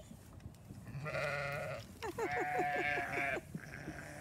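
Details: Farm flock at hay feeding, one a hungry young ram lamb; a nasal bleat followed by a longer call that opens in quick stuttering pulses and then holds steady, over low background rumble.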